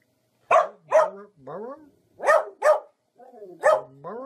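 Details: Dogs in a funny compilation giving short barks, each trailing into a lower, sliding whine-like tail, in two pairs and a final single bark with gaps of silence between.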